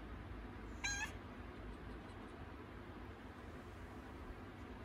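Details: Domestic cat in labour, having contractions; one short, fairly high, harmonic meow about a third of a second long rises out of a quiet room with low background hum.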